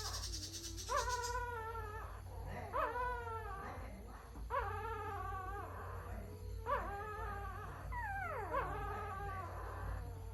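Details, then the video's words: Puppies crying in long, drawn-out whines, each about a second, rising then sagging at the end, one sliding sharply downward near the close, with pauses between and a steady low hum underneath. "Puppies crying"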